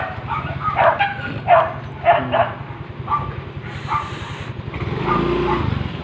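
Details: Street dogs during mating season barking in a series of short, mid-pitched barks spaced about half a second apart, then scattered single barks, over a steady low engine rumble from a vehicle.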